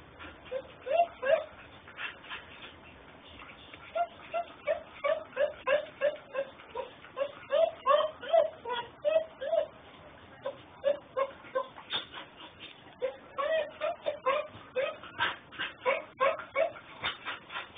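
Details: Puppy whining, streamed from a mobile phone in Houston, Texas: short, high, tonal whimpers come in quick runs, several a second, pausing briefly between bursts, with faint clicks and background hiss throughout.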